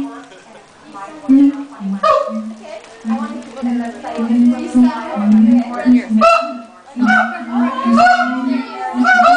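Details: ['Siamangs at the LA Zoo before lunch time, with the male taking centre stage: long low booming tones run under harsh, rising barks and wavering whoops, with a rough, busy texture throughout.']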